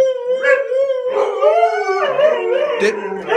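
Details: Two huskies in a home, one called Phoenix, argue with their owner about who made a mess; a long wavering howl in bursts, with a second voice joining partway and brief human speech in the background.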